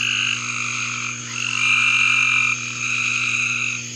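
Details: Frogs calling in a backyard, a dense overlapping chorus of high, continuous trilled croaks in several pitch bands, swelling louder in the middle and easing off, over a faint steady low hum.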